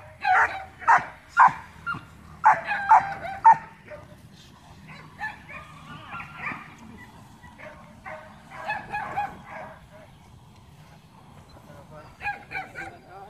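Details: Young dog being trained in Laos, with a quick burst of loud yappy barks in the first few seconds, then softer scattered barks and yips fading in and out, and one short louder flurry near the end.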